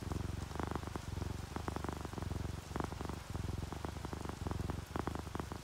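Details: Drowsy pet cat purring, an orange tabby and a calico asleep beside a rainy window; rhythmic low buzzing purr in breath-length pulses with small gaps, rain pattering quietly behind.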